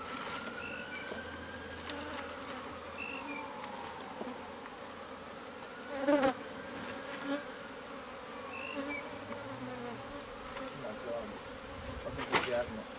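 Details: A hive of bees found inside house walls during a pest-control removal. A continuous droning buzz holds throughout, with slow faint gliding tones overhead and a couple of brief knocks or bumps.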